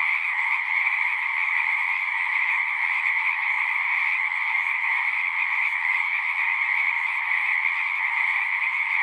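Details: Many frogs singing together at a pasture pond, captured on a Zoom 6 recorder: continuous high trilling chorus, even in loudness throughout, overlapping voices blending into one shimmering drone.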